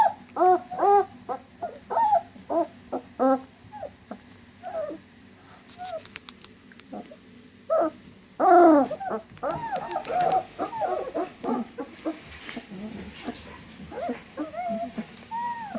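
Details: German Shepherd dog giving short, high, yelping barks and whimpers in quick bursts, a quieter stretch of scattered squeaky calls midway, then a dense run of overlapping yips and whines toward the end.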